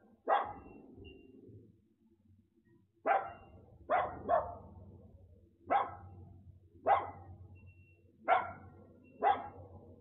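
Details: Little dog in the United States with a delivery driver who has it obey commands and wait before a race. Loud, bright barks ring out singly or in pairs about once a second, over a low background rumble.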